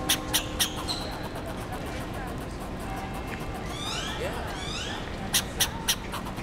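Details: A fox squirrel (Sciurus niger) at UT Austin barks and chatters in short, sharp bursts in quick threes over steady outdoor noise; possibly a mating call, owner wonders, as no predators were present.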